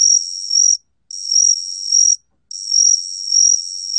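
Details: Gaksi cricket (각시귀뚜라미), from the National Institute of Biological Resources, 2020: three long, shrill trills of roughly a second each, swelling toward their ends and separated by brief pauses, against a silent background.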